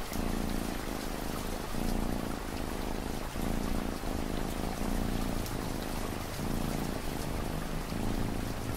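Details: Steady rhythmic cat purr, with low humming phrases repeating about every one and a half seconds and brief gaps between them, set against continuous pattering rain.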